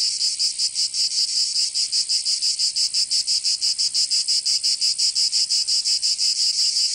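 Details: High rasping drone of cicadas during summer in Provence, southern France, throbbing rhythmically at close to three pulses per second without pause; nothing else audible.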